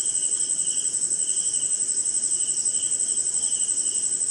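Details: Night chorus of crickets during rain in an Indian forest swamp, a piercing unbroken high tone layered over quicker rhythmic pulses that come in short repeated bursts, with soft background hiss.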